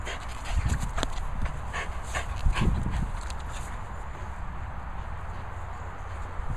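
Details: French Bulldog named Reggie outdoors, giving rough, low snorting pants in short bursts around the first and third seconds, then quieter breathing, over a steady rural background hiss with faint rustling.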